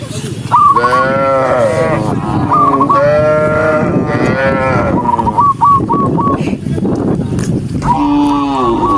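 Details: Tame cattle from a herd of tens of thousands walking along, calling in drawn-out, harmonic moos that overlap almost continuously, with bursts of brief high chirping notes over a busy background murmur.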